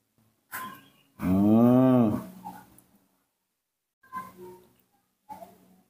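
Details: Newborn baby monkey, hungry on waking and calling for milk, kept in human care: one loud drawn-out harmonic wail lasting about a second, followed by a few short, softer squeaky cries.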